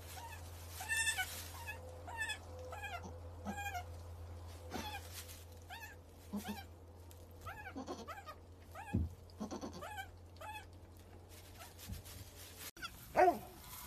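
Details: Baby goats jumping around and playing: many short, high, wavering bleats follow one another about once a second, some overlapping, over a steady low hum, with a sharp knock near the end.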